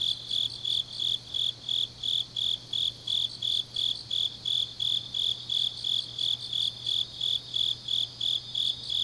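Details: Autumn-night grass insects recorded in Changnyeong, South Korea, sing a shrill, evenly pulsed chirp repeated roughly three times a second, layered over a softer shimmering chorus and a faint steady low hum.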